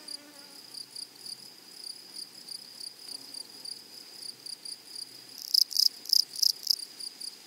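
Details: In a flowery prairie, a steady pulsed high insect buzz ticks along evenly until grasshoppers break in near the end with five loud, harsh rasping bursts in quick succession.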